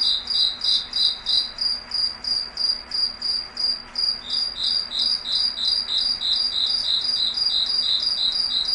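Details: Night chorus of crickets in a foggy forest, shrill high chirps repeated about three times per second in steady pulses, two singers overlapping at close pitches, soft low hum in the background.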